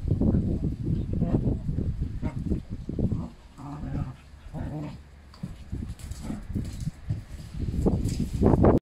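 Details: Canaan Dog giving brief tonal whimpers and whines midway through, set among heavy low thumping, shuffling and rustling noises.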